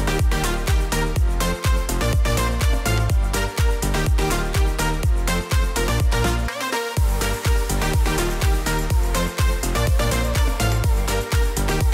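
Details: Loud electronic dance music with a steady beat fills the recording, with no animal sound.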